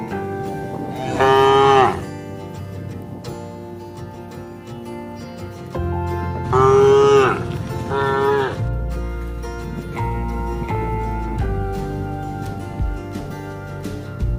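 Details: A cow in a herd eating together toward evening on a project road gives two long, loud moos a few seconds apart, calling to the rest of the herd.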